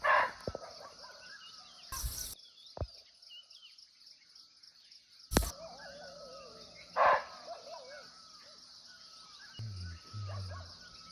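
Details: Muntjac calling from nearby in a Nepal forest, unseen: two short harsh barks several seconds apart, plus sharp clicks, a low hum near the end and a steady insect chorus throughout.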